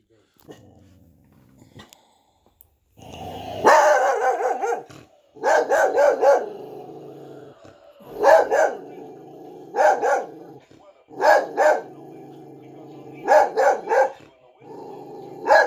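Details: A pet dog barks at a Frosty the Snowman figure, sharp barks coming singly and in quick pairs every second or two between short pauses, with a low steady hum behind.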